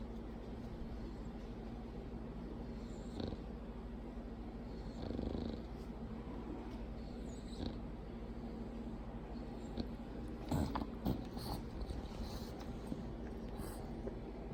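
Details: Loud snoring from Mildred, a female Bulldog, partner of another Bulldog named Clyde; continuous low, rough rumbling breaths with a few brief rustles and clicks around the middle and later on.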